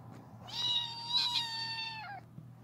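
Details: Female kitten wanting attention while being petted, giving one drawn-out, clear meow lasting under two seconds. It holds steady in pitch and dips slightly at the end. A faint low hum runs underneath.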